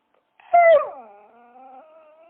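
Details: Dog giving one loud, sharp yelp that slides downward, trailing into a long, thin, steady whine that rises slightly toward the end; no other sounds.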